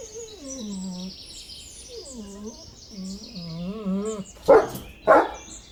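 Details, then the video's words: Dog giving drawn-out, wavering whines that rise and fall in pitch for about four seconds, then breaking into two loud, harsh barks, with birds twittering faintly behind. "Animal Sounds of Dogs Barking"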